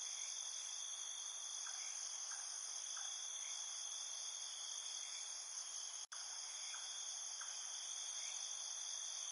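Field crickets sing together at night, their high, shrill trills merging into an unbroken ringing wall of sound. Faint, brief lower chirps come and go beneath the chorus, and a single sharp click breaks in partway through.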